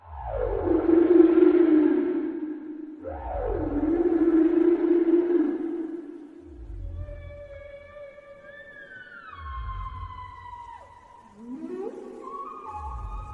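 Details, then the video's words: Whale moans that fall and hold low, followed by thin whistled tones that slide and step downward, over rhythmic low pulses about every two seconds in a relaxation mix. "Voice of giant whale"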